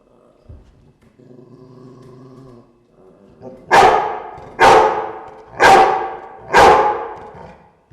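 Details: Indoor dogs: a low droning growl holds for a couple of seconds, then four loud barks follow, roughly one per second.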